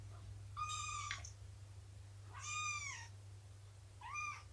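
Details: Three rising-then-falling meows, each about half a second long, from cats in a small room during a morning of nursing and play with Shelby and her three-month-old litter; a faint constant hum underneath.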